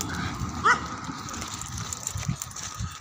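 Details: Dog out for a walk in India, reacting on meeting another dog: one short, sharp bark with a clear harmonic stack, followed by steady outdoor background noise and a few low thumps.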